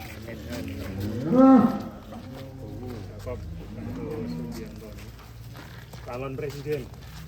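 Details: Sacrificial cows kept for the 2023 sacrifice: one loud, deep moo rising and falling near the start, then fainter lowing and a second call later, over background music and chatter.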